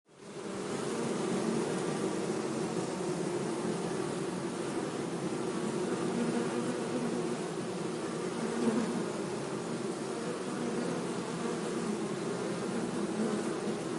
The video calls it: bee buzzing sound - zumbido de abelha